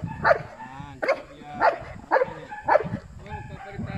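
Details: Asyong, a Belgian Malinois in bite work training, gives five forceful barks at a steady pace of roughly one every half second, while a person's voice murmurs in the background.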